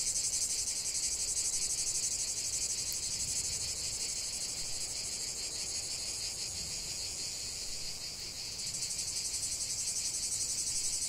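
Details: Chorus of cicadas in nature, a loud high-pitched rasping drone with rapid rhythmic pulsing; the sound briefly dips and thins near the end before swelling back to full strength.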